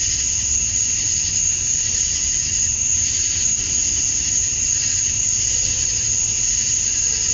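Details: Summer dusk chorus of male cicadas in Georgia, USA, calling for females: one continuous piercing whine and steady buzzy hiss, never pausing, with soft low hum in the background.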